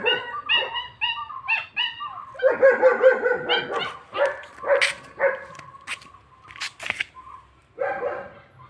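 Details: German Shepherd puppy making a run of short high yips, then a burst of rougher barking and whining, with scattered clicks and knocks between calls.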